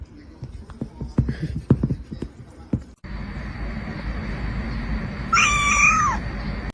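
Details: A kitten gives a single clear, drawn-out meow lasting about a second, steady and then dropping at the end, after several seconds of soft clicks, taps and shuffling noises with a low background hum.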